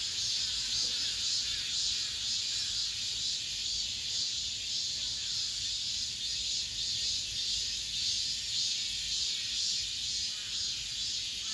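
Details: Summer's last cicada song inside an apartment complex: a loud, even, high buzzing chorus with rhythmic throbbing swells throughout, nothing else clearly audible.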